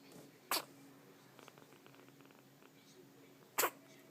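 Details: Baby Scottish kitten that seems to have caught a cold and cannot stop sneezing, indoors. Two sharp, short sneezes about three seconds apart, with faint rustling and low background sounds between them.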